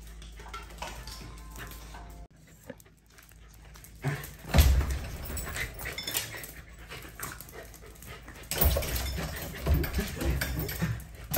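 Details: Pet Corgi at home during a work-from-home day, spending time watching the street, barking and sleeping; a few loud, broad bark-like bursts near the middle, then a denser cluster toward the end over a steady low indoor hum.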